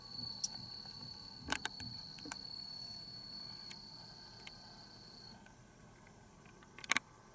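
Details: Bell cricket on 15 September 2021: a steady, high, thin ringing tone that lasts about five seconds, then stops. Sharp clicks and handling knocks break in throughout, with a louder clatter near the end.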